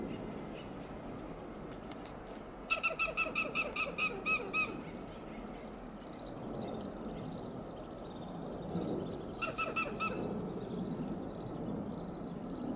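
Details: Western gray squirrel on a coast live oak, Del Monte Forest, California, sounding alarm: a fast two-second run of about ten sharp clucking notes, then rushing background noise, then a shorter burst of clucks.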